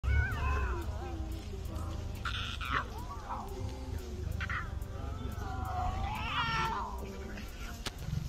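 Lion cubs give wavering, meow-like cries, calling out to their mother over a low rumbling background.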